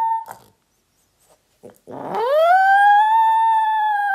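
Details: Italian Greyhound howling in response to a gray wolf howl played by a Google Home smart speaker. After a couple of faint clicks and a short gap, a single clear howl rises steeply, then holds a long, steady, overtone-rich note to the end.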